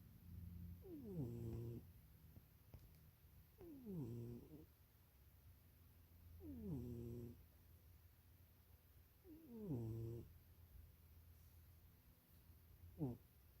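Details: Sleeping in a cramped box, the cat Munchie dreams and snores steadily: four throaty, downward-sliding snorts roughly every three seconds, then a short sharp squeak at the end, with a low hum beneath.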